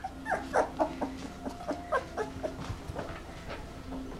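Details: Red Standard Poodle puppies, two weeks old, in a litter: thin, high squeaky whimpers in short irregular bursts, some bending downward, with a faint steady low hum underneath.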